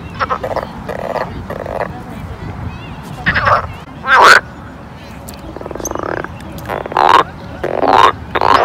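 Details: Frogs calling at a pond in summer: short, rasping croaks in bursts of varying length, some doubled, sounding at irregular intervals over a steady low background hum.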